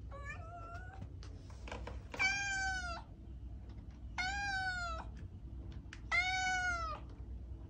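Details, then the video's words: Domestic cat meowing repeatedly indoors: three loud, clear, slightly arched meows about two seconds apart, each lasting under a second, preceded by softer short mews, over a low steady background hum. "Cat Sounds"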